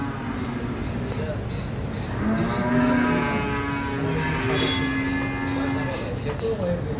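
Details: Newly purchased cows giving one drawn-out, steady, low moo lasting about four seconds, with people talking in the background.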